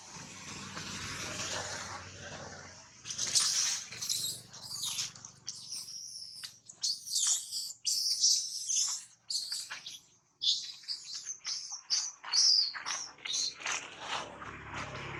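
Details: Young monkey named Tobais, bitten by another monkey named Anna after losing its mother, crying loudly in pain: shrill, high-pitched squeals and screeches in rapid irregular bursts, starting faint and growing louder after three seconds.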